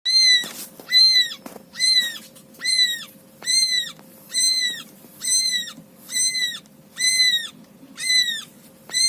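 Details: Cat sounds near a rescued newborn kitten being nursed by its mother: high, clear, harmonic mews, each slightly arched and falling at the end, repeated steadily about once a second, with a faint steady hum underneath.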